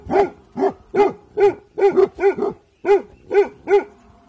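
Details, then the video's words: Guarding Bhotia dog barking on alert in the evening, about ten loud, even barks spaced roughly every half second, with short gaps between them. "Bhotia dog Dabu Goli Alert guarding in evening Time"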